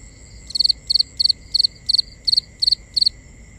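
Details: Nighttime cricket in binaural sound, chirping steadily about three times a second, each chirp a quick high triple pulse, with a faint continuous high hum behind it.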